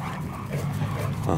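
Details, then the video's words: Zana, a Cane Corso, and Balu, a Bullmastiff, playing together: deep, rumbling growls held low and steady, with a rougher burst near the end. "Zana (Cane Corso) and Balu (Bullmastiff) playing"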